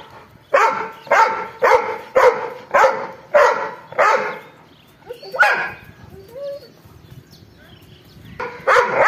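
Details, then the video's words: An angry dog lets out a fast run of six rough barks, then a lone bark after a gap, a faint squeak, and renewed barking at the end. "angry dog barking"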